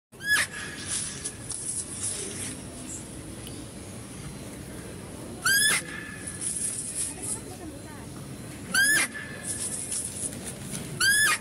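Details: Female deer at a zoo, recorded while a male deer is being fed: four loud, short, high squealing calls that sweep upward with bright harmonics, spaced several seconds apart, over soft background murmur and outdoor noise.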